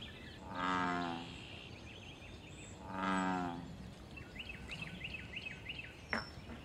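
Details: Pond-dwelling American bullfrog in the wild, calling for mating and territory. Two loud, deep, resonant croaks come about two seconds apart. A quick series of high chirping bird notes follows, then a sharp click.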